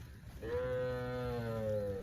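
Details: Cows grazing together in lush rice fields in the countryside, one giving a single long, steady, harmonic moo of about one and a half seconds, holding level before easing slightly lower at the end.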